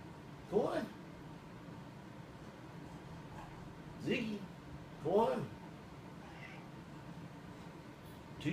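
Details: Indoor domestic cat arguing with its owner about where it may lie, giving short bent meows at about half a second, four and five seconds, among a person's low spoken orders.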